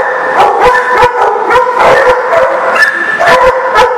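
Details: A crowd of dogs at a dog lot on 15 February 2019; loud overlapping barks, yips and howl-like wails blend into an unbroken din, with sharper individual barks standing out irregularly.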